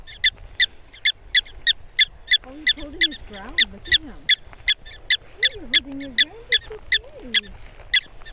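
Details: Prairie dogs objecting to people nearby, urging them to keep away: rapid, evenly spaced high chirps, about three a second, running throughout while human voices talk underneath in the middle stretch.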